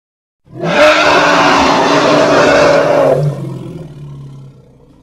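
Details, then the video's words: Roughly three seconds of a forceful, rough hippopotamus roar, labelled Congo, with a bright hissing texture over a steady mid-pitched band. It is followed by a quieter low, droning rumble that trails away. "Hippo (Congo) Sounds"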